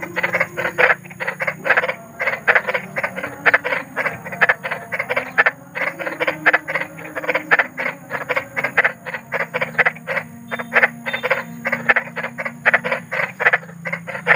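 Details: Big frogs (kodok besar) calling in the wild at night, offered as sleep therapy: dense rapid croaks in short broadband bursts, several per second, overlapping into a continuous chorus, with a faint low hum beneath.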